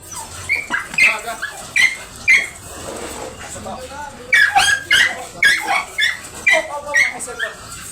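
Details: Dobermann at a stud service in Bunuan, Dagupan City, Pangasinan, giving a run of short high whining yelps in bursts about half a second apart, with a pause mid-way, while people talk nearby.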